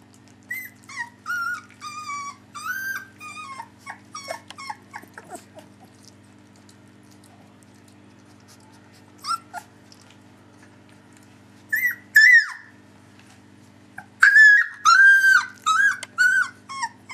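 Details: Three-week-old puppies whimper in a series of short, high, wavering whines and squeaks, busy at first, a quiet stretch in the middle, then a loud burst of repeated whines near the end.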